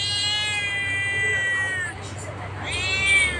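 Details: Pet cat talking with its owner: a long, drawn-out meow that falls slightly over about two seconds, then a second rising meow, with music playing in the background.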